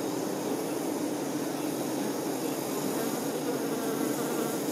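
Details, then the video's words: Worker honey bees attending the queen bee fill the air with an even, thick droning buzz, many insects humming together at a constant loudness with no breaks or other sounds. "Nature ASMR-honey bee"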